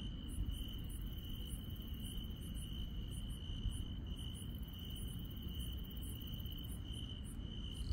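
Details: Insects trilling on a rural night: a sustained high-pitched trill is joined by rapid, regularly spaced very high chirps, with low ambient rumble underneath.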